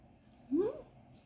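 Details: British Shorthair cat, mother cat with kitten in the morning at home: a single short rising meow, thin and upward-sliding, lasting about a quarter second in a quiet room.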